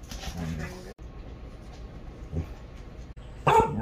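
A Siberian Husky gives short, wavering, vowel-like howls, with a sharper yelp near the end.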